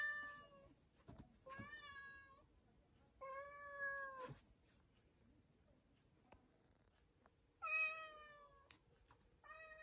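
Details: Inside a storeroom, a cat gives a series of clear, level meows, roughly one every two seconds, with a final short call. Faint clicks and taps sound in the quiet gaps.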